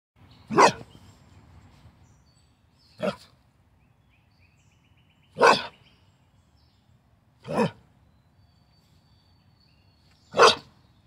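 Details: Carolina dog, also called American dingo, during free-style morning play: five sharp, single barks spaced about two to three seconds apart, each a brief loud burst, with quiet between them.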